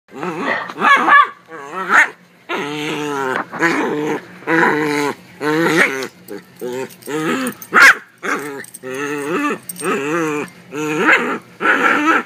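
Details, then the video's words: Male Silky Terrier making excited happy noises while having his ribs and head rubbed. Continuous grumbling, moaning growls, rising and falling in pitch in bursts of about a second, with brief breathy gaps between them. "The Silky Terrier With Happy Noises"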